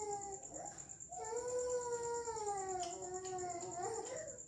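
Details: Cat giving one long, drawn-out meow that rises at the start, holds a steady wavering tone for about three seconds, then dips and ends with a short upturned wail, over a constant high electronic whine.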